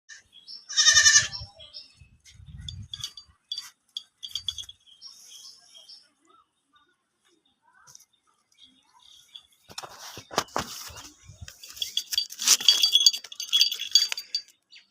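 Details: Goat bleating while a child plays with it: one loud, high wavering bleat near the start, then low grunts, followed by a stretch of quiet and later rustling, clattering handling noise and a child's voice.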